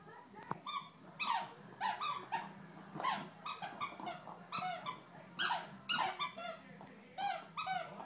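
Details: Female Great Dane puppy, eight or nine weeks old, newly brought home, giving repeated short high whines and yelps with clear harmonics, several per second in bursts, over a quiet low hum.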